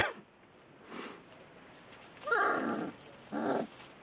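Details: Rhodesian Ridgeback puppies, one of a litter of ten born to a female, giving a few brief, faint high whines in quick pairs over a quiet background.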